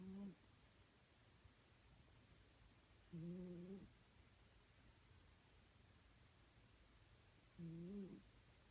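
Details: Domestic cat snoring: three short, soft, nasal whistling tones, each about half a second long and roughly four seconds apart, over a quiet room hiss.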